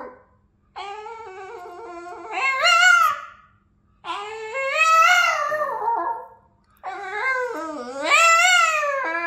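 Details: Singing Boston terrier indoors producing three long howls, each starting low and steady then climbing into a louder, higher, quavering yodel-like rise before falling away, with short silences between.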